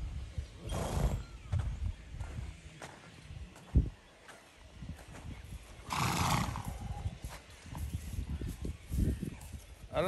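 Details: Horse running free in an open field: one loud, rough whinny bursts out midway, set among low thudding hoofbeats and scuffing, with a man's voice calling out to urge it on.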